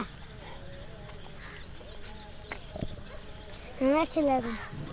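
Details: Running dog reacting to a stranger: after quiet outdoor background with scattered clicks, two loud, tonal barks come close together near the end, each slightly falling in pitch.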